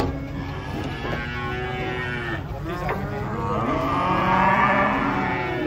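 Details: Morning unloading of giant cattle from a truck: overlapping low moos with steady harmonic bands run almost continuously, swelling louder toward the end over a constant rumble.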